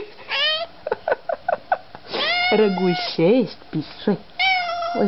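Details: Cat reunited with its owners, with a quick series of short clipped chirps followed by longer wavering, bending meows over a person's speech indoors.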